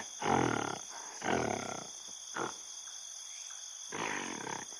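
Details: Gorilla calling: four broad, harsh bursts, the first two loudest and about a second apart, a short grunt, then a final rough call after a pause, over a steady high insect drone.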